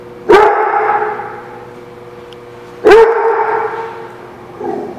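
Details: Dog recorded on 10/14/17 giving two loud, sharp barks about two and a half seconds apart, each trailing into a long ringing, echoing tail; a softer, shorter bark-like sound closes the recording.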